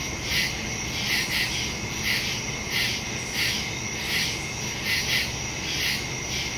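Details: Crickets chirping at night in the woods, recorded September 2, 2023 on a phone with a stereo microphone: a steady high, pulsing insect chorus with louder bursts recurring roughly every half to one second over a faint low hum.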